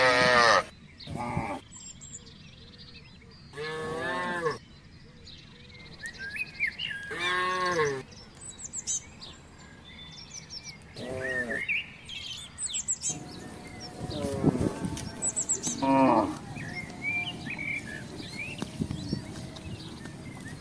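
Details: Village cattle crossing a residential estate hunting for grass and water; repeated stacked, harmonic moos from several animals at intervals of about two to three seconds, then mixed background sounds and bird chirps.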